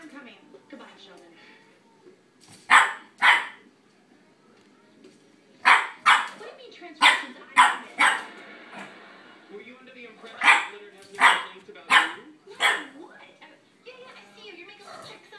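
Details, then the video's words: A Boston terrier puppy barking at a cat gives sharp, high barks in short bursts of two or three, with quiet voices behind. "Puppy barking at cat"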